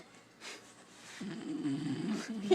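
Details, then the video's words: A beagle asleep and not waking, low rough snoring rumble building through the second half, with a soft breathy noise early on. "Snoring beagle won't wake up"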